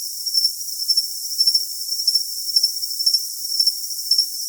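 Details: Cricket call for tinnitus masking, made of bright, high chirp bursts spaced about half a second apart, with a sustained sizzling tone underneath.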